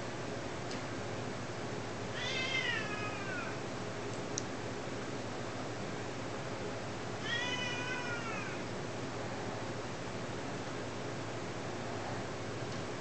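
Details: Chewbie, a two-year-old pet cat, playing with its owners indoors: two drawn-out, harmonic meows about five seconds apart, each sliding downward in pitch, over a steady background hiss.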